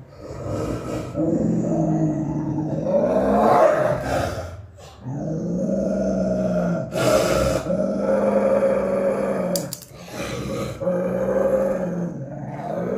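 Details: Aggressive Rottweiler and aggressive Pit Bull facing each other, deep rumbling growls held in long sustained phrases with brief pauses near the fifth and tenth seconds, a few sharper snarling bursts between, indoors.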